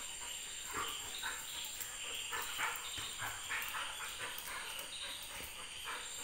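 A Golden Retriever gives short, sharp barks and yips in quick, uneven bursts.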